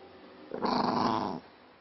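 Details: Angry Maltese dog growling indoors: one harsh, noisy growl lasting under a second, then quiet.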